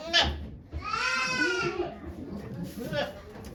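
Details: Goat bleating during Okayu's birth of twin kids at Yoshigake Farm, Japan, 3 May 2023; a single drawn-out bleat of nearly a second rises in the middle, surrounded by murmuring human voices.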